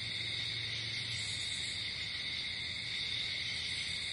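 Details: A nocturnal cricket chorus outdoors, steady high-pitched trilling that never pauses, multiple callers blending into sustained bands, a brief low hum early on.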